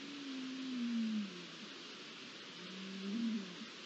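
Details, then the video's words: Red deer at night on 20 September 2021, early in the rut: two low moaning calls about two seconds apart, the first a long gently falling tone, the second shorter and wavering, against a steady broadband hiss. "Empiezan a despertar las hormonas (Ciervos)"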